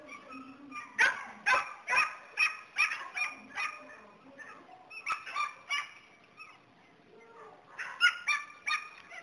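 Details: Border Collie herding dog barking in a rapid run of loud, harsh barks, then a softer, quieter stretch, then another short burst of barks near the end.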